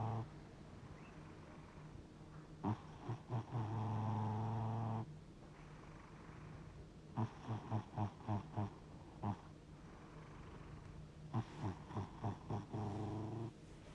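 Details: Snoring from a sleeping domestic cat, reportedly 60 years old: rough rumbling breaths with sustained buzzy stretches and trains of rapid fluttering pulses, in a quiet indoor setting.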